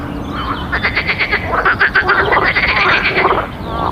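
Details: Frogs croaking at night by a pond: dense, overlapping pulsed croaks and ribbits, rapidly repeated with a rattling, clicking texture, rising and fading as several callers chorus against soft background ambience.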